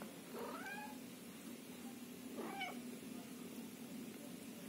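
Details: Indoors, a Scottish Fold cat family of kittens waiting in a box with their mother close by; two short, lower, wavering meows about two seconds apart, rather faint over a steady electrical hum.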